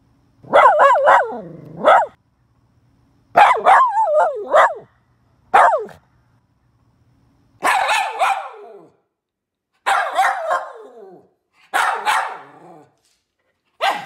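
A poodle gives bursts of high, yappy barks, each cluster a second or so long with a whining, wavering tone. The bursts come every couple of seconds with quiet gaps between them.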